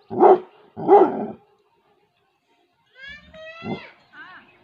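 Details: Female Labrador retriever guarding her territory in a village in Tehri Garhwal, Uttarakhand; two loud deep barks close together, then a pause and softer sounds with a high rising whine-like tone.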